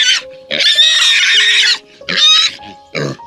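A pig gives shrill, harsh squeals in several bursts, one drawn out, over soft background music.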